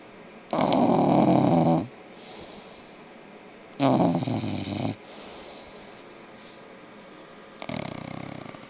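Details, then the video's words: English bulldog snoring in its sleep: two long, loud, rattling snores about three seconds apart, each over a second, then a softer third snore beginning, with quiet breathing between. "English bulldog "Mister sleeping and snoring"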